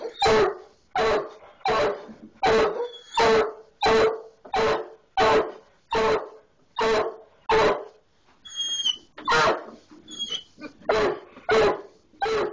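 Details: Biscuit the hound barks at a skunk inside the barn wall, a steady run of about sixteen rough, full barks repeated roughly every 0.7 seconds, briefly pausing near the middle where faint high squeaky chirps show.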